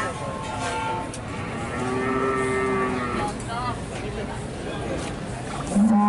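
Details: Limousin cattle at the Pon livestock market in Nganjuk, East Java, Indonesia: one drawn-out harmonic moo lasting over a second, then shorter fragments and a sharp low call at the end, over steady crowd and market noise.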